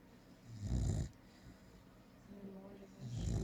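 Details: Female American Staffordshire Terrier asleep and snoring loudly, two low rasping snores about two and a half seconds apart, separated by soft breathing.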